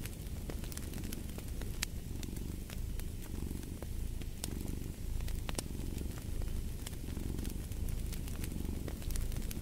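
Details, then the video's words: Cat purring in a low, steady rumble that swells and fades in slow breath cycles, overlaid with the sharp pops and crackles of a burning fireplace. "Purring of a Cat"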